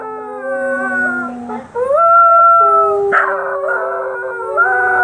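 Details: Scottish Terriers Precious (black) and Sophie (white) join in howling at sirens, layered drawn-out tones that hold level, then rise and bend, with one abrupt yelp midway through.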